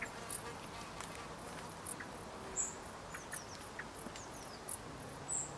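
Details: Dark bush cricket chirping: brief, sharp, very high clicks spaced roughly every second or so, with faint thin whistles from other creatures in between and a quiet background.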